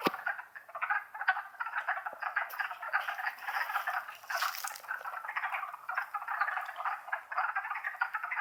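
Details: Springtime wood frog chorus in the Longkill Woods, April 2014: dense, rattling clucks overlapping without pause, with a soft hiss of background noise and a brief higher rustle near the middle.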